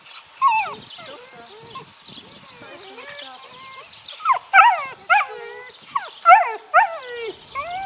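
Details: Six puppies, eight weeks old, from the neighbour's dog Sunny, starting with soft scattered whimpers, then a cluster of loud high yelps repeated about every half second in the second half.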